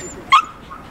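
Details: Japanese Spitz at an indoor dog show, a breed club headquarters autumn show held in October 2020; one short sharp bark or yip, bright and clipped, cutting through murmured speech and an announcer reading vote results.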